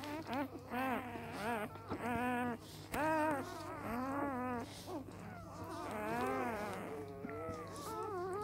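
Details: Three-day-old Samoyed pups of an A litter wail in arched, nasal cries, each swelling and falling, repeated in short bursts with brief pauses, with a constant low hum in the room.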